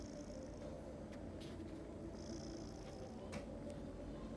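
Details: A pet cat snoring: a steady, low, grainy rumble that runs unbroken through the whole stretch, with faint high whining tones appearing and fading in the background.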